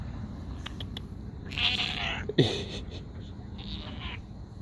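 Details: A stray cat with a raspy, smoker-like voice gives a hoarse, breathy meow with a rough, noisy texture, then a short sharp sound and a fainter rasping call afterwards over low background rumble.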